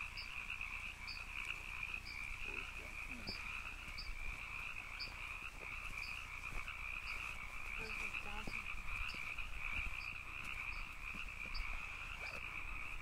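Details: Steady buzzing chorus of canyon frogs, a continuous rough trill with faint lower undertone, punctuated by brief high-pitched chirps recurring roughly every second; occasional soft clicks in the background.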